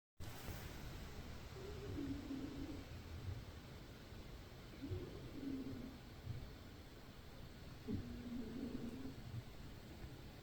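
A sleeping domestic cat snores softly, a low rough breath repeated about every three seconds.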